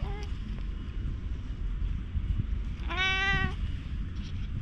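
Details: Black stray community cat in Japan, followed by the recordist and greeting him affectionately, recorded on a GoPro HERO8; one clear, steady, slightly rising meow lasting about half a second over a constant low rumbling background.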